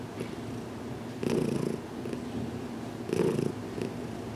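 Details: Close, quiet purr of Heidi the cat enjoying her first filmed head massage in a closet, June 6, 2019; two louder rumbling swells stand out over a soft continuous purr.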